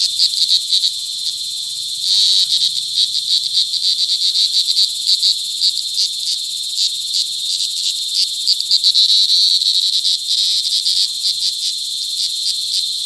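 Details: Cicadas during cicada season in July 2020 at Sitio Bagumbayan, Brgy. Balabag, La Carlota City, Negros Occidental, mating and calling close by: a loud, continuous high buzzing drone with rapid pulsed bursts repeating steadily throughout.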